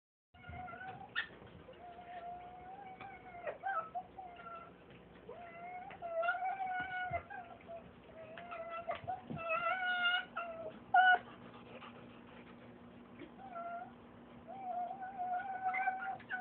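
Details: Pet fox indoors making weird noises when excited; sustained steady whining tones, some bending up or down, repeated through the clip over a constant low hum.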